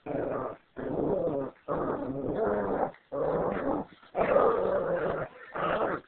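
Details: Two dogs playing indoors in an office; continuous low rough growling in long bursts of about a second, broken by short pauses, with whimpering yips mixed in.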